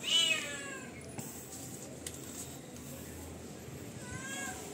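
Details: Domestic cat demanding food with a short loud meow at the start, then mostly quiet room noise with a few clicks and a faint second meow near the end.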